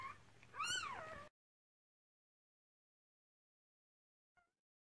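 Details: Newborn Cardigan Welsh Corgi puppy during the whelping of a six-puppy first litter born to a Red Merle mother, 2018: a single arched whine rising then falling, about half a second long, then silence and a faint short squeak near the end.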